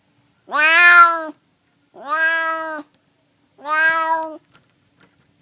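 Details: Three loud, clear meows from a hungry male stray cat wanting food, the first highest and strongest, followed by a few faint clicks.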